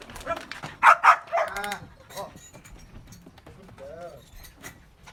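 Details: Belgian Malinois during training to bark on command: two loud, sharp barks in quick succession near the start, followed by softer sounds and a trainer's speech in the background.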